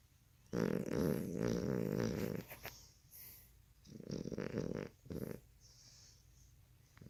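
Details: Puppy worn out and asleep, giving a long rough snore, then two shorter snorting rasps with quiet breathing between them in a small indoor room.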